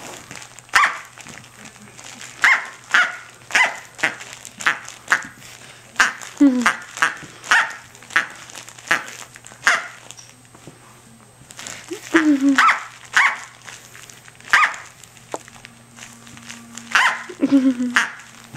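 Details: Playful yaps from a six-to-seven-week-old Corgi puppy, a female named Tic-tac, busy with her toy duck; sharp high barks repeat about every half second, pause briefly, then resume, while a person's voice chimes in.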